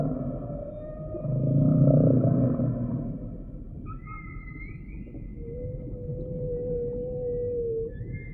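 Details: A humpback whale gives a low rumbling moan, then a long, clear, steady tonal whistle that holds its pitch for several seconds and ends with a slight upward bend, above a soft underwater hiss.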